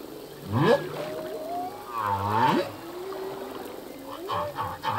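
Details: Singing male humpback whale in the ocean: upward-sweeping wails, then a long arched harmonic moan bending up and down, followed by low grunting swoops and soft pulsed notes.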